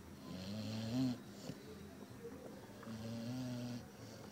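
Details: Labrador Retriever Zuro snores twice in sleep, low droning inhalations under a second long, the first swelling slightly louder before fading, with a quiet gap between.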